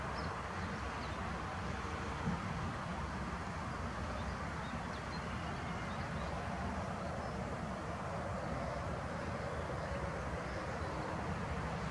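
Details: Steady low rumble of passing traffic or a train throughout, with no clear animal calls.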